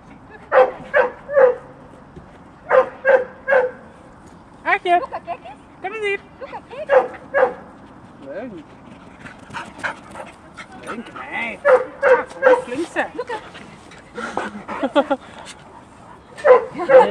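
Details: Two dogs on the grounds of a dog training school in March 2014, barking in irregular clusters of quick barks with short pauses, mixed with people's voices throughout.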